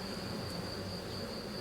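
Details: Low, unbroken buzzing of a weak drone-laying honey bee colony being rescued, few bees left, wax bridges being cleared from the frames; the hum stays even, with a faint steady high whine.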